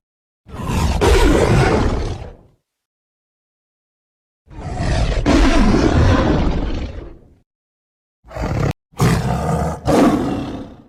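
A tiger gives long, deep, rumbling roars, each lasting about two seconds with brief pauses between.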